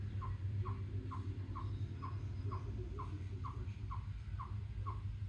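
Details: A chipmunk on a rock gives a steady series of short, sharp chips, about two per second, on July 2, 2024. The reason for the call is unknown.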